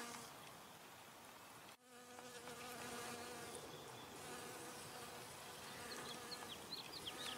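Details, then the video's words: Honey bee working flowers for nectar, humming steadily after a short break near two seconds; the low, even buzz carries on to the end, joined by faint high bird chirps. "Honey Bee Humming Sound"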